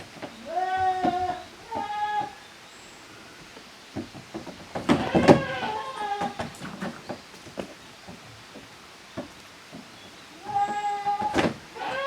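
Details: Goat kids, Koharu's and Okayu's young, romp in the exercise yard of a Japanese handmade goat farm, June 2023. Two short bleats open, followed by a spell of thumping, banging play noise, then a final clear bleat near the end.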